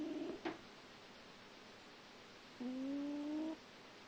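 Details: A sleeping grey cat gives a short snore at the start. After a quiet gap comes a longer, smooth snore of almost a second that drifts slightly upward in pitch, against soft room hiss.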